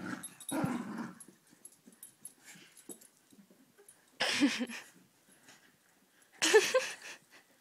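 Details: Fox terrier at home, a low growl at the start followed by quieter stretches and two sharp, noisy bursts of sound.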